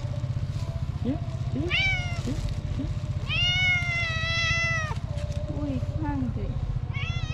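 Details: Tuxedo cat with a black nose, so hungry, meowing loudly to ask for food. Short rising chirps lead into a long, bright meow held nearly two seconds, then more brief calls. A low pulsing hum runs underneath, with some human talk.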